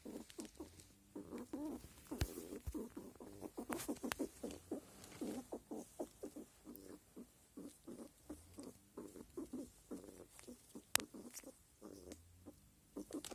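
A male squirrel grunts in the rut, with soft, rapid, low pulses repeated in uneven bursts.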